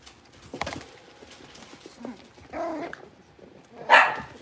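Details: Blenheim Cavalier King Charles Spaniel puppies, a litter of five born at New Year's, in a big puppy pen; a short harmonic yelp midway, then a sharp high yip near the end, with faint shuffling between.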